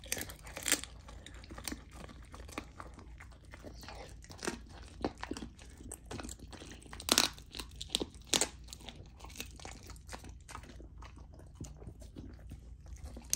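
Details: Golden Retriever puppy named Lilo, female, eating a raw dinner of chicken drumstick, thigh and sockeye salmon indoors; sharp irregular crunches and bone-cracking bites with wet chewing between, several loud snaps near the middle.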